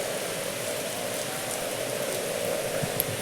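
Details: Steady rain falling, a dense hiss of raindrops with no animal sound.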